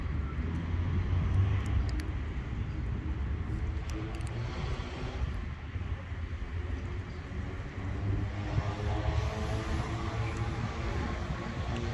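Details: Loud traffic and an aircraft drone dominate an outdoor street scene, with faint speech and no audible cat calls.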